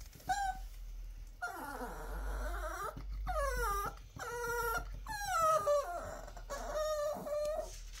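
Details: Pet Chihuahua Dixie talking: a sequence of drawn-out, bending whines and yodelling howls, each dipping and climbing in pitch, separated by brief pauses, with a soft hum underneath.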